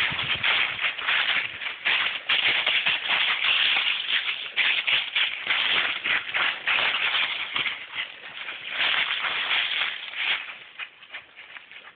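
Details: Steady rattling, shaker-like music fills the whole stretch with dense rhythmic shuffling and no animal voice.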